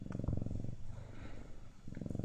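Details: Siamese cat purring in two low, rumbling pulsed bursts, one at the start and one near the end, with a quiet pause between them.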